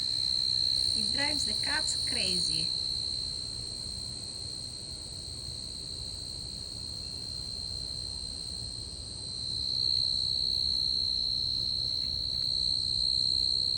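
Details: A tree cricket in a garden, antennae about 2 inches on a half-inch body, sings a steady, high, shrill trill almost without a break.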